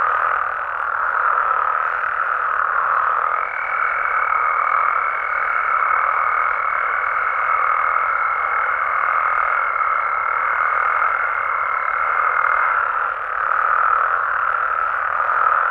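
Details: Mexican frogs and toads calling through the night in a constant, even chorus of overlapping mid-pitched croaks, with a faint steady high whine laid over the middle stretch.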